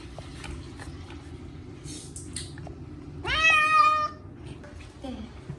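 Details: A single strong, sustained meow from Chacha, a short-legged Munchkin cat protesting his once-a-year bath, rising sharply then holding steady, with quiet handling noises and a brief soft cry after.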